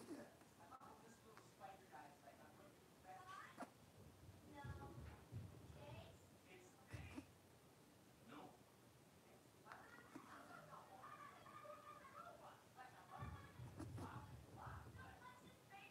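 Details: Blenheim Cavalier King Charles Spaniel puppies, a litter of five born at New Year, playing in an indoor puppy pen: squeaky yelps and thin whines in scattered bursts, with low thumps and bumps from their romping.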